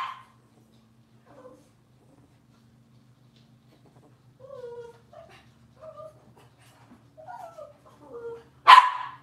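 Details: Cavalier King Charles Spaniel puppies from Robin's litter on an indoor kitchen cam: scattered soft, thin whines that slide downward, then one sharp loud yelp-bark near the end, over a steady low electrical hum.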